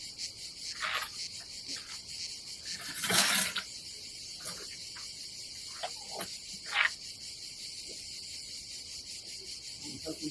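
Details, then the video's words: On a summer day by the Adriatic Sea in Croatia, cicadas keep up a high, unbroken buzzing drone at a campsite, with a loud rustling burst near the start and scattered knocks. "nature cicadas sound"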